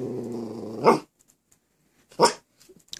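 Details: Post-surgery Mini Aussie puppy in a cone, struggling to jump onto a bed and asking for help: a low, drawn-out grumbling growl ending in a sharp bark, then a second bark after a pause, indoors.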